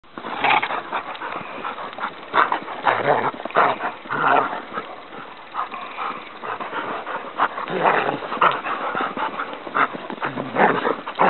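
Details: Dogs playing wildly on a surprise snow day, giving a near-continuous run of rough, noisy growl-like bursts and short whimpering sounds, with louder peaks every second or so across the whole stretch.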